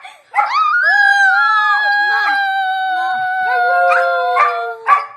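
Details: Dog singing: a quick rising yelp leads into one long, steady howl lasting about four seconds, with faint yips and a final short upturned note at the end.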